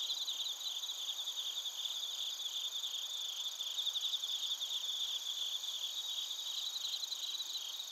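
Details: Bell crickets with other crickets, recorded in Narita, Chiba Prefecture, Japan, on a TASCAM Portacapture X8; steady shrill trilling with rapid pulsed chirps repeating throughout, many insects sounding together.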